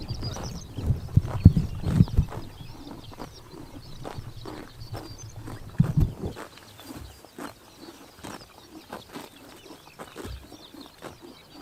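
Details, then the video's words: Grazing horses on a summer morning in Mongolia's Tuv province, heard as irregular crunchy chomps and grass-tearing snaps, heavier and louder during the first six seconds before thinning into softer, scattered bites. "Horses eating grass in summer morning / chomping noises"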